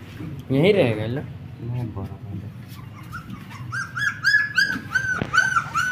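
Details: A brief human voice opens, then black German Shepherd puppies, 20 days old, take over with a string of thin, high whines, each a quick rising-and-falling arc, coming faster toward the end.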